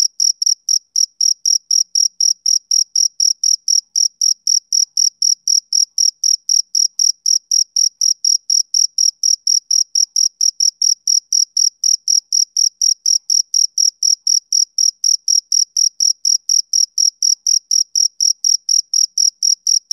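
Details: Male cricket chirping on a summer evening: a steady stream of short, high-pitched pulsed chirps, about four per second, evenly spaced and unbroken, with no other sounds.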